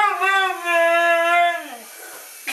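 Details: Mishka, a Siberian Husky known for talking, indoors: one drawn-out, howl-like vocal moan of about a second and a half with rich harmonics, holding steady then sliding down and fading, followed by a faint click.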